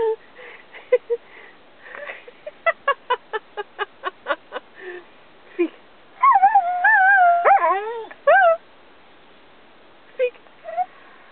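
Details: Robbie, an Australian Cattle Dog learning to speak on command, gives a run of short rapid yips, then long wavering high whines and howl-like vocal sounds, with a brief human voice and quieter yips near the end.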